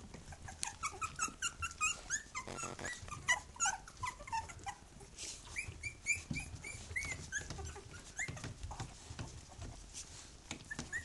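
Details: A litter of three-week-old puppies beside their mother, Bhoomi, calling loudly: continuous thin squeals and whines from several pups, short arched notes tumbling over each other, with soft rustling and movement sounds throughout.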